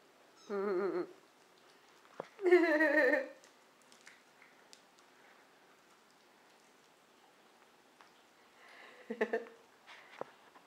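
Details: Kittens about a month old, kept in their own nursery and weaned onto solid food: two wavering meows in quick succession early on, a long quiet stretch, then a softer, rougher cry near the end.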